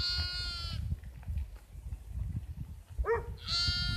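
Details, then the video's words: Sheep bleating: a loud, harmonic, nasal bleat lasting nearly a second, then a shorter wavering bleat rising into another drawn-out cry near the end, over low rumbling background noise. "Strange noise of sheeps"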